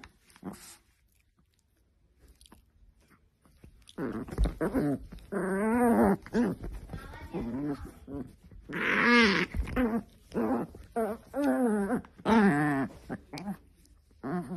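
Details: An angry Chihuahua, quiet at first, then bursts into long, warbling growls that rise and dip in pitch, several stretches of grumbling separated by short pauses, with faint background noise.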